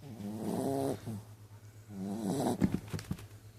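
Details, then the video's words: A sleeping dog snoring: two drawn-out, buzzy, harmonic snores of about a second each, one at the start and another around two seconds, over a steady low hum, with a few clicks near the end. "Snoring dog very funny"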